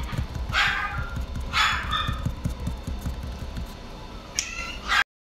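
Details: A Maine Coon cat in a pet shop gives a few short, bright meows over a low rumbling background.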